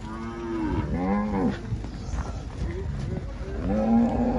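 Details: Angus cattle on a farm in Palmeira dos Índios, Alagoas, Brazil, give two drawn-out mooing calls, first falling and then rising again, separated by a quieter noisy gap.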